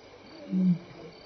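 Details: Evening contact call of a lion passing Elephant Plains Game Lodge, South Africa, May 26, 2011, 6-7 PM: one brief low, even grunt lasting about a quarter second amid soft ambient noise.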